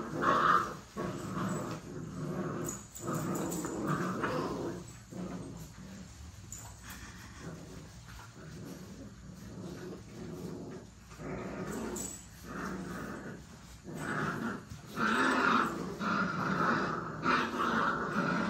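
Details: Play-fighting puppies give irregular rough growls and scuffling bursts throughout, rising near the end into higher yips and whiny squeals, with louder flurries around the start and final few seconds.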